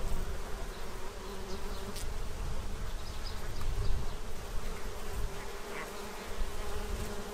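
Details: Bees busily feeding from a tray in Central Illinois to prepare for winter; an unbroken low, rumbling buzz fills the whole stretch, swelling slightly at moments, with no other clear sounds.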